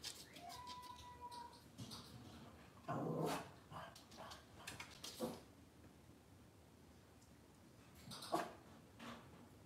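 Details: Cavalier King Charles Spaniel indoors on a kitchen camera on a cloudy Monday morning: a thin, steady high whine in the first seconds, then scattered knocks, thumps and clattering household noise with quiet gaps.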